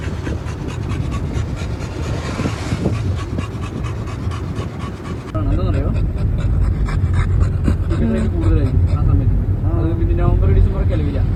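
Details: Miku, a male American Bully, happily out on a car trip with family: quick, steady rhythmic panting over a low engine rumble, with people talking nearby and road noise growing louder midway.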